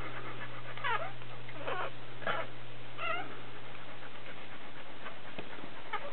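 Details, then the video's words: Dobermann during a birth, with a puppy being born: a few thin, high, bending whimpering cries, spaced irregularly about a second apart, over a steady low electrical hum. "doberman giving birth"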